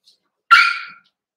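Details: Cavalier King Charles Spaniel puppy, one of a Ruby and Blenheim litter born 06/09/2022, filmed overnight on 27 August by an indoor puppy cam: a single sharp, bright yip-bark lasting about half a second, then silence.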